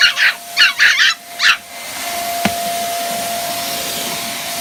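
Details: Chihuahua puppy barking at a vacuum cleaner: four quick high yappy barks in the first second and a half, then only the steady whine of the running vacuum.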